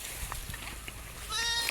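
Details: Garole sheep feeding; soft clatter and rustling, then a short, high, nasal bleat breaks in near the end.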